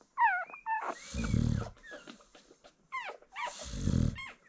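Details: Two heavy, growly snores from a nursing American Bully mother, each lasting about half a second, with high, wavering whimpers of her newborn puppies sounding before and between them.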